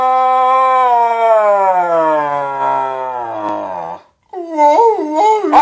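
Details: Talking dog giving a long, clear, tonal howl that glides gradually downward over about four seconds, then pauses briefly before bursting into short, bending, warbling sounds like mock speech.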